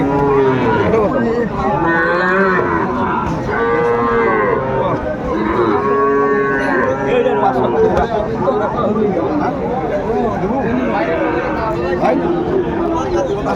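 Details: At a crowded Sylhet cattle market in Bangladesh, 29 June 2024, Sahiwal calves low repeatedly: several short, nasal moos overlap through the clip over a steady background of market chatter.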